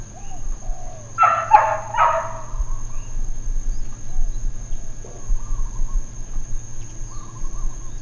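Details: Uncontrolled, intermittent dog barking in Hawaiian Paradise Park, Hawaii, on September 2, 2024 (Labor Day): two quick harsh barks early on, then quiet with faint whistled bird notes and a steady high electrical hum.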